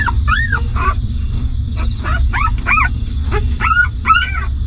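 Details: Hungry newborn puppies of a stray mother dog crying as they feed on milk, a steady stream of short, high, arching squeaks and whines throughout, with a constant low hum beneath.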